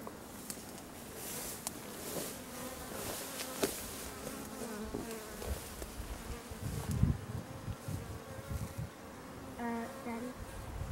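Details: Honeybee swarm that split off from its hive, a dense droning hum with low buzzing tones and passing individual bees zipping by, some sharper buzzes near the end.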